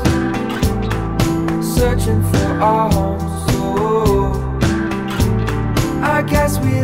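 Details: Soul-flavoured music with instruments and a singing voice fills the recording, and no animal sound comes through.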